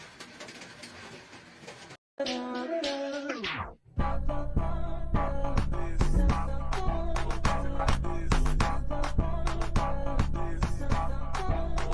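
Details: Music with synthetic-sounding singing plays, broken by a short gap and a falling tonal sweep, then a steady rhythmic beat continues to the end.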